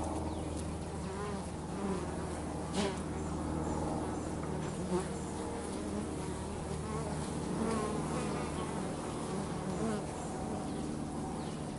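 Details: Bees busy working at home make a dense, even drone of overlapping buzzing wings, with slight rises and falls in pitch and a few soft knocks.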